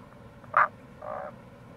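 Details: Close, punchy croak of a Tago's brown frog, then a softer, slightly lower pulsed rattle a half second later; April, near a gorge on the Kamo River, Itoshima, Fukuoka, with low rushing noise behind.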